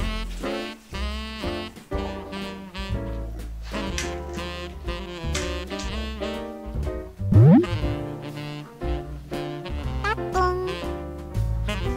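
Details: Swinging jazz with saxophone lines, a walking double bass and a brief sliding note, with no animal voice heard.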